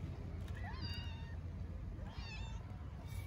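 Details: Very hungry orphaned kitten, a stray in Istanbul, gives two short, thin, high meows about a second and a half apart, each bending upward then down, against constant low-pitched background noise.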